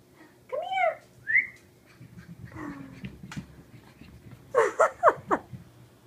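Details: A Boston Terrier puppy zooming, chasing and playing fetch with a ball gives high, yappy barks and a brief rising whine.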